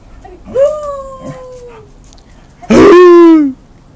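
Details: Happy dog vocalising on request: a long, steady, whistle-like howled note sliding slightly downward, then after a pause a loud, rough, harmonic yowl-bark lasting nearly a second.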